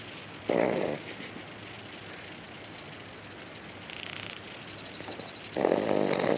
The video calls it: Cocker Spaniel Puppy Snoring